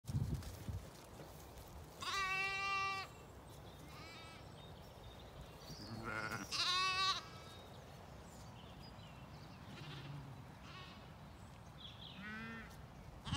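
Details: Zwartbles sheep, lambs with ewes feeding on a regenerative farm in County Kilkenny, Ireland, at a dry dawn; several wavering, harmonic-rich bleats, high lamb calls and lower ones, spaced a few seconds apart, over quiet outdoor background.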